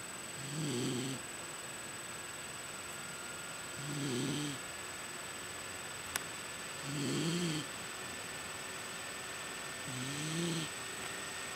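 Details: A pregnant female miniature Dachshund snores while sleeping, in low, rumbling breaths each lasting about a second, roughly every three seconds.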